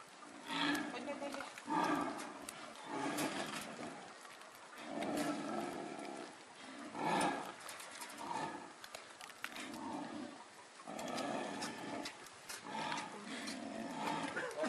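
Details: Snow leopards at Tama Zoo after mating: the male keeps following the female, and a rather rough fight breaks out while keepers distract him. Rough growling bursts repeat every second or two, mixed with people talking nearby.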